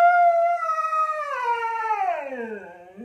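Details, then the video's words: Talkative Siberian Husky Zeus answering a question about his new birthday bed with a sustained, tonal howl that holds level, then bends downward over three seconds. "Husky talking about his new bed"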